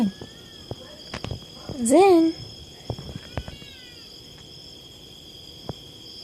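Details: Zin, a cat described as paranoid about other cats, gives one short, loud, wavering meow that rises and then falls in pitch, with soft clicks and knocks around it and a steady high insect hum behind.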